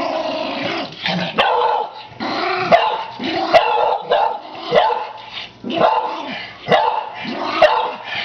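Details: Senile elderly Toy Poodle producing repeated rough growls mixed with short yappy barks, roughly one burst per second, harsh and snarling throughout.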